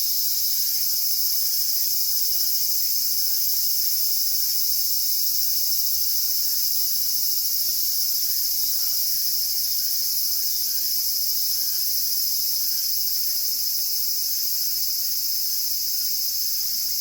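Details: Cicadas calling nonstop on a hot August day, the hottest season, beside Sanjung Lake during a solitary walk; a steady, unbroken high-pitched shrill hiss fills the whole stretch without pause, with no other clear sounds.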